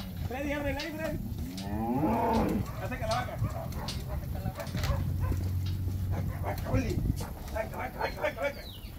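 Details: Calves in Campeche, Mexico, on 20 August 2022 give loud, harmonic bawling moos, the strongest in the first three seconds, followed by shorter, fainter cries while people talk nearby and a low rumble continues underneath.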